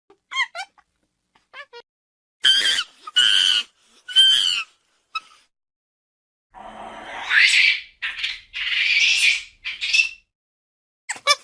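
A monkey gives high, thin squeaks followed by harsher, drawn-out squeals.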